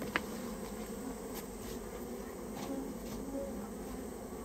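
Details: Japanese honey bees, a colony that built its nest inside a storehouse, being removed at the owner's request; a steady low droning hum with a tonal band and harmonics, fairly faint, with a few soft clicks.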